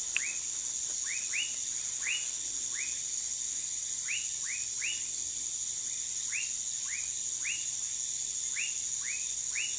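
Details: Dendropsophus nanus, the dwarf tree frog, recorded in Manaus in Brazil's Amazonas state. Brisk arched chirps repeat every half second or so, sometimes doubled, against a constant high-pitched hiss of insects.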